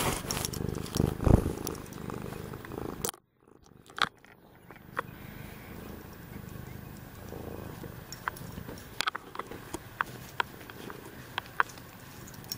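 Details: Purring from a domestic cat, Tokeni or Willow: a steady low rumble that is loud in the first three seconds, breaks off briefly, then returns fainter alongside scattered clicks and tapping.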